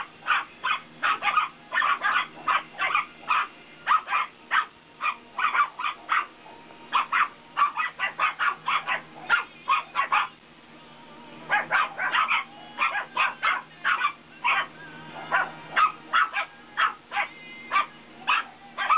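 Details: Shih Tzu puppies in Georgia at play, one named Reese trying to keep hold of a set of keys; bursts of sharp, high yips and short barks come in quick runs throughout, with a brief quieter pause midway.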